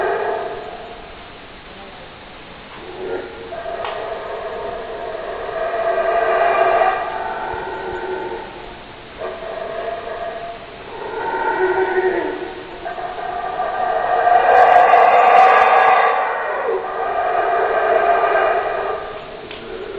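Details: Howler monkeys roaring in long, deep, rasping howls with rich harmonics, swelling and fading in overlapping waves across twenty seconds, loudest near the middle and again toward the end, with short lulls between bouts.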